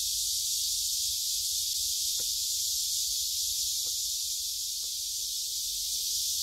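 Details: Cicada chorus in the Gyerim grove, Gyeongju, filmed by phone on a walk on 16 July 2022; a constant sizzling high drone of many insects, with a few brief soft clicks or footsteps underneath.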